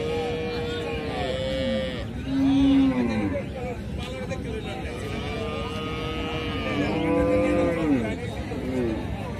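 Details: Cow mooing in drawn-out, low, harmonic-rich tones, with one moo near the 2.5-second mark and another around 7 seconds. Other overlapping tonal sounds are faintly layered throughout.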